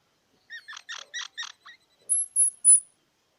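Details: Squirrel giving a quick run of five or six harmonic chirps, followed by three very high, thin whistled squeaks.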